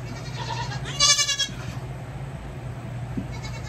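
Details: Goat kid getting hooves trimmed gives a soft bleat, then a louder, trembling bleat about one second in, and quiet handling noises against a low background hum.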